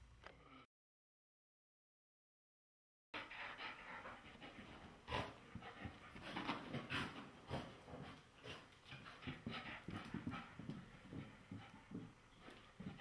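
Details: Irish Terrier, agitated after being given a bath. Irregular bursts of breathy panting and low grumbling, roughly two per second after a short silent gap at the start, with some rustling.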